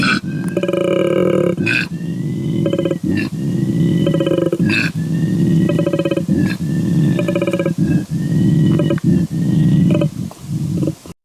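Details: A koala bellows in a deep, rasping, snoring drone broken into grunting, belch-like pulses, with a faint high tone running in the background.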